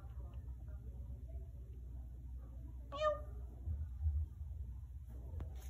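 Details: A new kitten on its first day in a home, indoors, gives one brief bright meow midway through an otherwise quiet stretch with low room hum and a few soft knocks.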